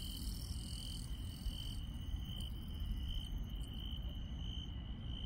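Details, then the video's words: Grass insects at night in rural countryside keep up an even, high-pitched trill. Several brighter, higher insect voices ring in the first half, then thin out over a steady low rumble. "시골 밤의 정겨운 풀벌레 소리"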